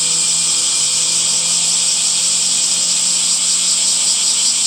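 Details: Cicadas calling on a summer day among trees, producing a sustained hissing buzz that never breaks, with faint low tonal hum beneath the constant insect noise.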